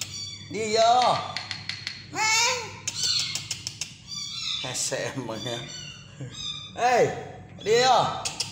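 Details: Kitten being hand-fed, giving about four loud, arched meows spread through the clip, with voices chattering in between and faint music.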